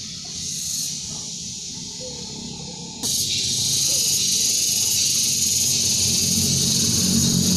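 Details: Cicadas calling in sunny weather in a beekeeping area: a steady, high, hissing buzz that swells louder partway through as more join in.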